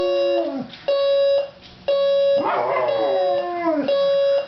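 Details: Oscar, a pet dog, howling in response to a beeping alarm clock: sustained tonal howls with rich harmonics, several long held notes broken by short gaps, one wavering and sliding in pitch near the middle.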